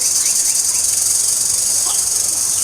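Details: Cricket trills continuously, a steady high-pitched shrill drone with no pauses, in the season before hot summer.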